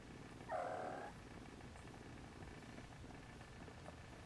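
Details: Siamese kitten with its mother Siamese cat as the litter tries to nap, some later nursing; a single bright, drawn-out mew lasting about half a second, then only a soft low rumble.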